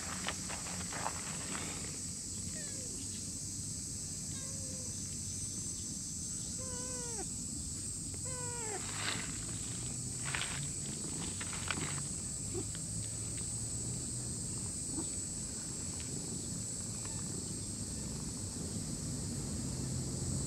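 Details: Chubby brown-and-white stray cat in a park, lying on cool moss, gives about five short, falling meows between roughly 2.5 and 9 seconds, each dropping in pitch, over a steady high-pitched background hiss with scattered outdoor clicks and faint low rumble.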